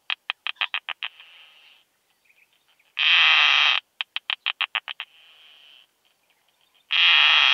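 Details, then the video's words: Isophya costata, the keeled plump bush-cricket, singing on Austrian meadows at Zitzmannsdorfer Wiesen, June 2020, heard through an ultrasound detector: bursts of about seven quick clicks followed by a faint hiss, alternating with loud sustained buzzes roughly every four seconds. "Isophya costata -- Breitstirnige Plumpschrecke -- Keeled Plump Bush-cricket"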